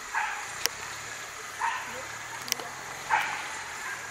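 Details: Three loud, broad barks spaced about one and a half seconds apart from a whippet at coursing training in Charonnay, recorded 29 June 2020. Sharp clicks and an engine-like hum sit in the background.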